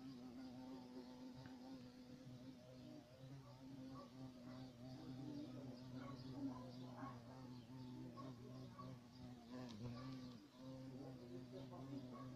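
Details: Steady deep droning buzz of a European carpenter bee (Xylocopa violacea), holding an even tone for the whole stretch with small swells in volume, plus a few faint clicks and soft murmurs in the background.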